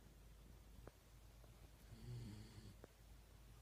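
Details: Sleeping Shiba Inu called Yun, noted on 1 December 2016 for surprisingly loud snoring; one low, buzzy snore swells mid-way, framed by soft clicks and quiet room hiss.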